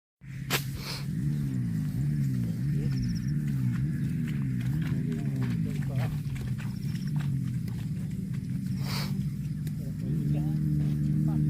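A cow gives a long, deep moo that wavers in pitch, then steadies and rises at the end.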